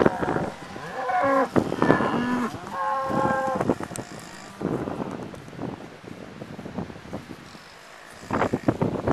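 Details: Cows of several colours and breeds mooing close by, recorded from the back of a pickup truck amid the herd: several deep, drawn-out harmonic moos in the first few seconds, then quieter shuffling and a final rising moo near the end.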